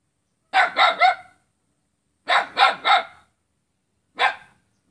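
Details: A dog in Selat, Kapuas, Central Kalimantan, Indonesia, barks at its neighbour on 5 August 2017: two rapid triple bursts of harsh barks separated by a pause, then one lone bark.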